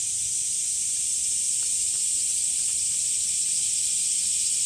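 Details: Cicadas singing in summer heat at Umami Hills Park among sunflowers in Japan: a constant high, hissing drone without pause, with faint clicks underneath.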